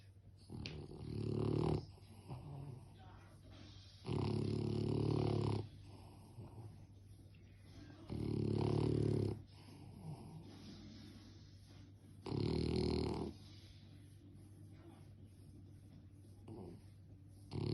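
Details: French bulldog snoring: loud, rough, low breaths about every four seconds, quiet pauses between, with faint background hum.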